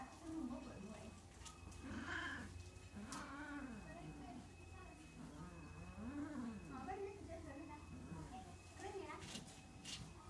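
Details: Mating domestic cats produce repeated moaning yowls, each swelling upward then sliding down, coming in a steady rhythm roughly every second; a human voice and occasional clicks and rustles sound behind them.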